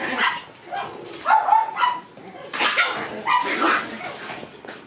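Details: Two Shiba Inu puppy brothers, born June 13, wrestle in play, giving short gruff growling bursts mixed with thin, wavering whine-like notes over a few seconds.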